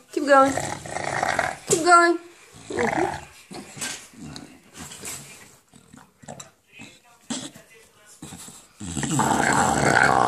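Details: An English Bulldog playing with a tennis ball and attacking a person's feet gives strained, groaning "monster" growls with a wavering pitch between a person's speech.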